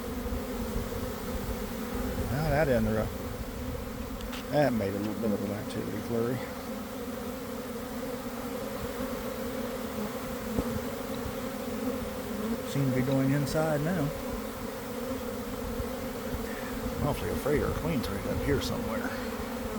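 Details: Inside a honey bee swarm leaving a hive at about 1 pm, after a cold, wet week: a constant low, droning buzz carries throughout, while short bursts of human speech come and go four times.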